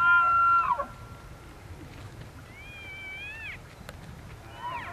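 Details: Elk during rut season in Benezette township, Elk County, Pennsylvania: a loud high whistled call with stacked harmonics that breaks downward at the end, then fainter rising and falling whistles, and a final short whistled note.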